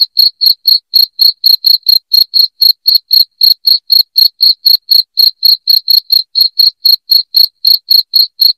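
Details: Cricket sound for chasing rats out of a house, a continuous run of piercing high chirps, steady at roughly four a second throughout, with nothing else audible.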